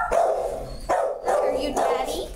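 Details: Dog A698555, with puppies, gives about four loud, mid-pitched barks in quick succession over two seconds, each one harmonic and slightly drawn out, with short gaps between them.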